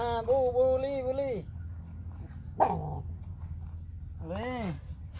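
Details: Puppies kept by their owner: one long, steady whine lasting about a second, a brief squeak, then a short arched whine that rises and falls, over a constant low hum.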